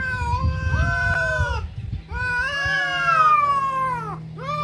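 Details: Domestic cats fighting, with two long, strained caterwauls that bend upward and sag back down, a brief break between them, and low scuffling noise and hum in the background.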